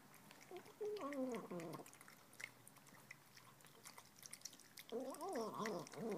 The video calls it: Tonkinese kitten making 'human' noises when she eats!!!